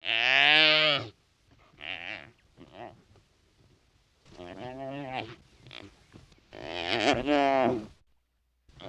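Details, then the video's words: Wild wildebeest grunting: loud, nasal, harmonic-rich calls of about one second each, separated by brief pauses, with several shorter, fainter grunts between them. The background is quiet. "The Sound of Wildebeest 🐃 Wildebeest Vocalization"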